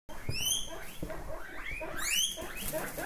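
A guinea pig gives shrill, rising whistled squeals, two bursts of quick upward-sweeping notes about a second and a half apart, over soft rustling and shuffling.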